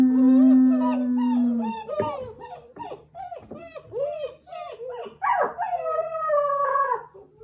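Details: German Shepherd puppies howling together just after breakfast, January 21, 2022, chorus joined after a person started the howl; opens with a steady low held tone, then many overlapping yipping, arching wavering howls rising and falling, some sliding upward toward the end.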